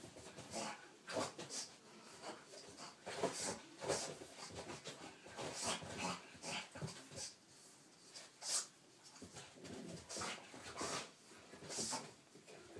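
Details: Pug scared of a little cat toy, indoors in a small room: rapid, irregular bursts of snuffling and snorting breaths, with a few brief whimper-like sounds, repeated throughout.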